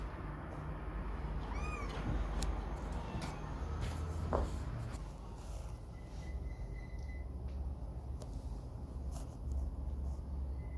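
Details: Kitten away from its mother for the first time, giving a single high harmonic meow near the two-second mark amid low rumbling room noise, soft clicks and handling knocks.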